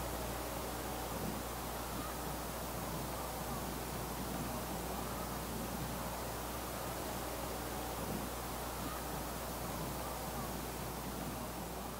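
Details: Steady broadband hiss and rumble fill the recording, with no animal call heard.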